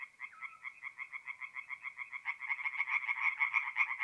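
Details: Night chorus of tree frogs at a forest pond in north-east Italy, mid-April: quick repeated pulsed croaks, a second nearer frog joining halfway and growing louder, with a brief whistled note near the start.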